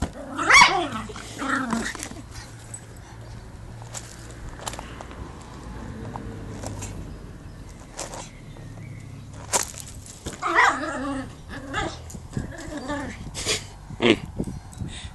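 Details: Chihuahua playing football gives scattered sharp barks, two near the start, then a pause of several seconds, then a couple more toward the end, amid clattering and scuffing from play.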